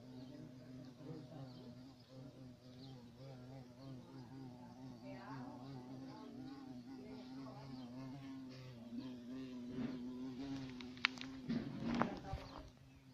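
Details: Violet carpenter bee (Xylocopa violacea), a large black bee, buzzing with a continuous low drone that wavers slightly in pitch and loudness, then grows louder near the end, where a few sharp clicks or knocks break through around eleven to twelve seconds.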